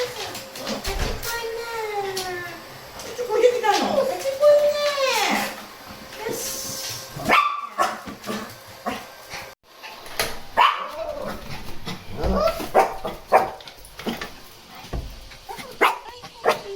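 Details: Shih Tzu voicing complaints on a cool morning walk with a lively Miniature Pinscher; a string of arching, wavering whines at first, then scattered yips, with footsteps and human speech around them.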